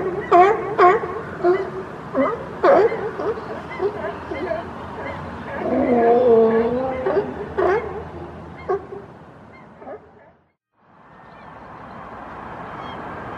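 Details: A group of California sea lions (Zalophus californianus) crowded on a platform by the ocean give hoarse, honking barks in quick irregular bursts, about two each second, amid yawning, sneezing and one pushing another into the water; bark.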